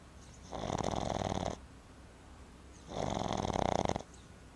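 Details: Boston Terrier puppy Timber snoring hard after a river outing: two long, fluttering, rasping inhalations about two seconds apart, each a steady buzzy vibration, with soft room hush in the pauses.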